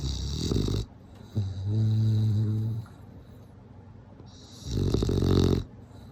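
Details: A bulldog asleep, snoring with a deep, buzzing rattle on the inhale and a loud rough exhale, two full breaths across the stretch.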